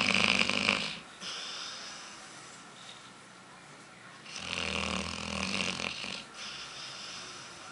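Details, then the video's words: Pet dog Aila, known as Lalá, snoring while she dreams, her eyes flicking rapidly and her body seeming ready to run; a rough snore opens, then after a quiet gap a longer grating snore swells and fades. "Roncando pra cachorro, ou melhor cachorra!!"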